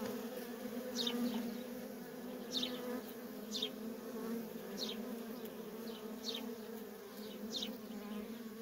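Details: Worker honey bees in constant traffic at a feral colony: a steady low droning hum with a higher overtone band, overlaid by brief high descending chirps about every second or so.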